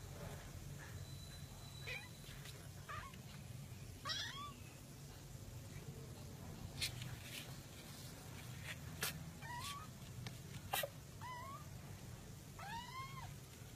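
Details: Domestic cat from a compilation of cats in a box, giving short arched meows scattered through the clip, several in quick pairs near the end, over a low steady hum and occasional sharp clicks and knocks.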